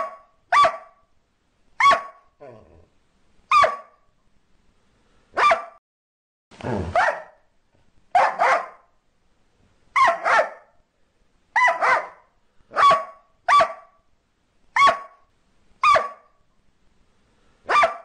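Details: Border Collie barking in a steady series of short, bright, clipped barks about one to two seconds apart, a few slightly rougher doubled barks mixed in, no other sounds.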